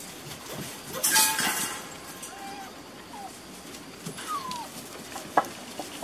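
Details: Working-line Beauceron puppies at six and a half weeks in a new pen give short whistled whimpers, one level, one sliding downward, amid clinking, rustling and faint voices.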